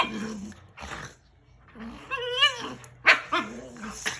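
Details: Shiba Inu and husky playing and wrestling on a bed; throaty growls and rising-falling whines with short barks, a few bursts separated by brief pauses.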